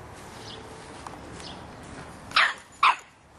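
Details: Young Boston Terrier, aged 3½ months, barks at a soccer ball: two loud, sharp barks about half a second apart near the end, preceded by faint softer sounds over quiet background noise.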